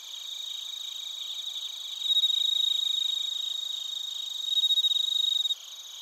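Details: Crickets and bell crickets recorded in Narita, Chiba, Japan, on a TASCAM Portacapture X8; a nearby insect gives loud, fast pulsed trains of chirps over a high ringing background chorus, stopping abruptly near the end.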